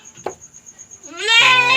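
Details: First-time mother goat in a backyard, in labour, gives a single rising bleat that swells into a loud quavering cry after a soft click and a faint steady tone.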